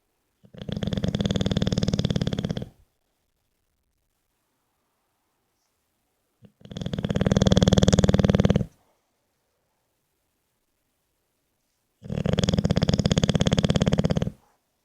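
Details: A sleeping English Bulldog snores in a steady rhythm, with three harsh, rumbling, fluttering snores, each about two seconds long and separated by silent breaths about every five to six seconds.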